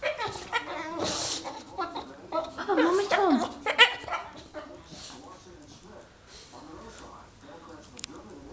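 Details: A dog crying because he knows his owner is home; high wavering whines and yelps rise and fall in the first four seconds, mixed with a person's excited talking, then quieter speech.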